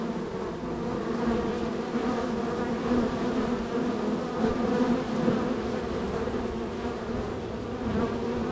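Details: Busy honey bee colony at the third hive on the row, bees coming and going; continuous low buzzing with stacked harmonic tones, small flickers of individual bees passing over the constant drone.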